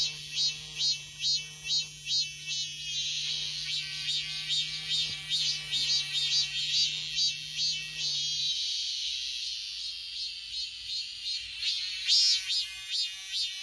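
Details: A robust cicada singing in a persimmon tree gives loud, buzzy, high-pitched pulses about twice a second in a steady rhythm, with a low hum underneath for the first eight seconds.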